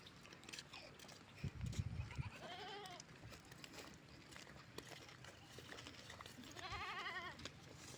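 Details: Bleats from goats being herded by a river: two quiet, wavering cries several seconds apart over steady outdoor background noise and a soft thump.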